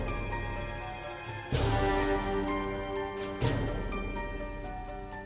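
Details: Instrumental music with steady beats and sustained tones, no animal sounds heard.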